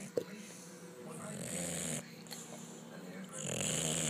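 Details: Sleeping bulldog snoring: long, rasping, droning breaths with a low buzzy rumble, two drawn-out snores separated by a quieter pause, with a brief click near the start.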